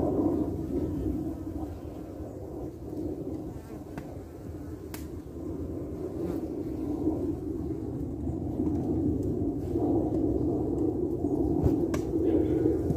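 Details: Carniolan honey bees guarding and defending their hive entrance against wasps: a steady, low, droning hum from many bees. It swells slightly louder toward the end, with a few faint clicks.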